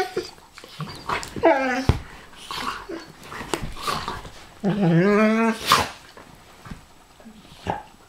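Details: Pharaoh Hound and Ridgeback play-fighting indoors: two drawn-out, rough, wavering growl-whines, the second longer and louder, amid short snorts, huffs and scuffling.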